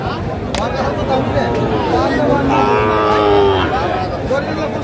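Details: Sahiwal bull calves at a livestock market in Kushtia, Bangladesh, on 20 November 2024 while farmers bargain: a drawn-out, wavering moo swells midway over a dense babble of voices and crowd noise.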